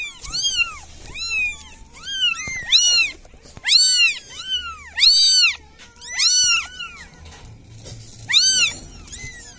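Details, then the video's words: Village cat pleading for help: repeated short, high meows arriving roughly every second, irregular in timing, some overlapping in pairs, with a faint low rumble underneath. "SUARA KUCING MINTA TOLONG"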